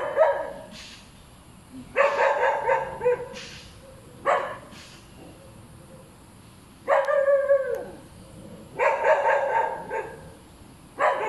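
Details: Dog described as hyperactive and very noisy, barking nonstop: harsh barks in bursts around 0, 2, 4.3, 7 and 9 seconds, some bursts a rapid run of several barks, with quiet gaps between them.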